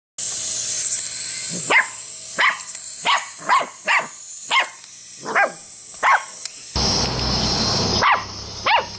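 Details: Puppies playing with a frog toy: short sharp barks repeated roughly every half second to second over steady hissing noise, which becomes a louder rushing background near the end.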